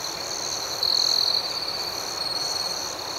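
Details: Crickets at night give a thin, high, unbroken trill with quick pulsing chirps above it. One caller swells louder for about half a second early on, then fades back into the chorus.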